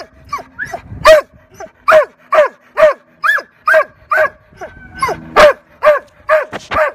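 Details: Anxious Labrador Retriever at a dog day care temperament test at Ruff House Pet Resort. It gives loud, sharp barks in a rapid uneven run, mixed with a few higher yipping notes.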